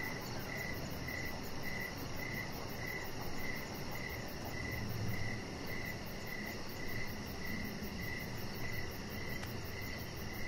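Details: Crickets chirping in the evening beside a deck where a chihuahua puppy lies under decoration lights; steady chirps pulse about twice a second, with a fast, faint high ticking above and a low background rumble.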